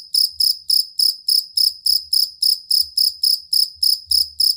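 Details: Cricket chirps used as master sound for competition songbirds. About 16 loud, shrill pulses come evenly at around three and a half per second, with intermittent faint low thumps beneath.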